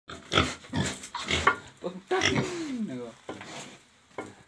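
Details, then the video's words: Large Black pig giving a run of rough, breathy grunts in quick succession, with a drawn-out falling squeal near the middle and a human voice briefly heard. "Large black pig"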